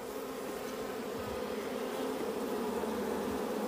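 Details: Dense low hum from many wild bees by their hidden honeycomb in the wild, a strong, steady drone with a rich overtone band, slightly swelling toward the end, with little other sound.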